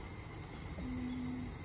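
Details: An evening cicada (Tanna japonensis, higurashi) gives a steady, high-pitched ringing drone over a low background rumble.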